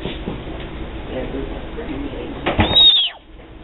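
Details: A male Florida panther kitten in rehabilitation after a vehicle strike, Collier County, Florida, May 2012, gives a brief, high, whistled chirp over a low indoor murmur.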